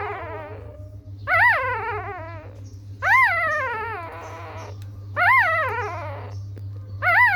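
Young puppies give high, wavering whines, each rising then falling, about every two seconds.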